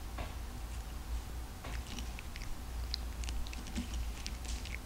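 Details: A cute pet cat crunches dry kibble indoors, eager but restless at mealtime: scattered crisp, bright crackles and clicks of biting and grinding over a steady low hum.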